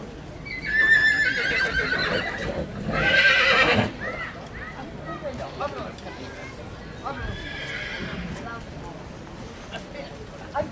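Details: Horse at a horse fair in Puigcerdà, 2012: two loud, shaky whinnies in the first four seconds, the second harsher and breathier, then a fainter neigh near eight seconds, amid crowd chatter and hoof clatter.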